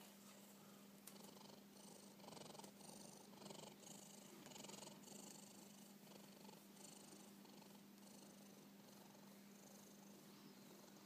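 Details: Napping house cat snores in quick, airy rasps, each breath a short hissing puff repeating about once a second, with a constant low electrical hum underneath.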